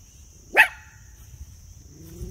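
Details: A Miniature Poodle, out with a friend and excited about going out, gives one sharp, loud bark rising quickly, then quiet with a steady high electrical whine and faint low rumble behind.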